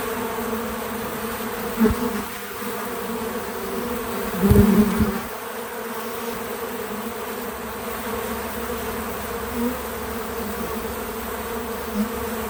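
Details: Bees coming to a feeder, natural real-time sound: a constant low hum with clear harmonic bands, punctuated by two louder close fly-bys and a few softer nearer buzzes.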